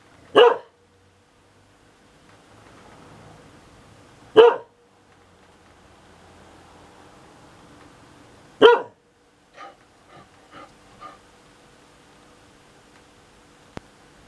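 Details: Three loud single barks about four seconds apart from Sunny, a pet dog protesting the thunder as too noisy, followed by a few soft, faint sounds in a quiet indoor space.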